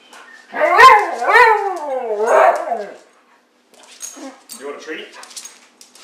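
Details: A playing Siberian husky gives a long, loud, wavering yowl with rising and falling pitch lasting about two and a half seconds. Quieter grumbling vocal sounds and a little speech follow in a small room.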